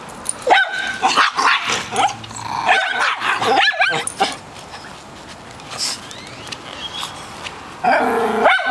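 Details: Dogs romp beside a pool in Austin, a chihuahua and a new miniature schnauzer playing while a poodle mix chimes in. Irregular clusters of sharp barks come in bursts, with quieter gaps, faint human voices and a final volley of yaps.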